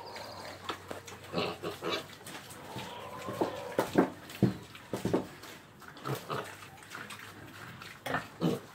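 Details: Pig giving short, low, rough grunts in uneven bursts every half second or so, with a brief faint tonal note partway through and some background clatter.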